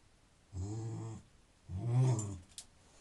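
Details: Conker, a pet terrier indoors, 'talks' to get attention, wanting someone sitting around to do something: two drawn-out, low, moaning grumbles with rich harmonics, each under a second, separated by a short pause, ending with a faint click.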